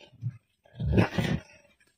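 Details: Inside a barn where a wolf is trapped, a brief deep huff is followed by a gravelly, throaty growl of about three quarters of a second, close and echoless.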